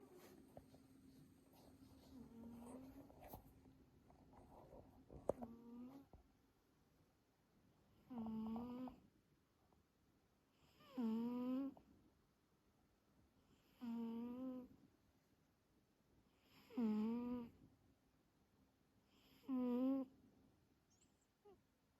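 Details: Domestic cat Carlos, sleeping sweetly in an active sleep phase, snoring and purring: after a quiet, faintly rustling start, five wavering, tonal snore bursts come steadily about every three seconds in a small indoor room.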